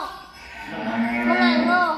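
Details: Cattle at night in Indonesia, prepared for transport to a cattle contest in Boyolali, with grass and feed loaded. One short, drawn-out moo with a clear harmonic stack swells in the second half over faint background murmur.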